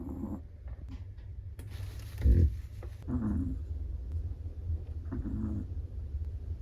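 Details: A black-and-tan Chihuahua asleep, snoring in uneven puffs: a louder rasping breath near the middle, then softer humming snores, all over a constant deep background drone.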